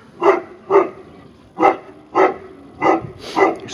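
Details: Barking at its own reflection, a Tibetan Mastiff kept at a St Petersburg kennel in Russia gives six heavy, resonant barks in under four seconds at uneven spacing.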